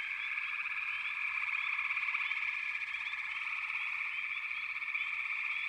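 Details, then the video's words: Steady, dense chorus of frogs in a backwater, a shimmering trilled hum without pauses, punctuated by repeated short rising chirps. "FROGS - Pig Frogs, Water Frogs, Backwater Chorus, & Frog Chorus"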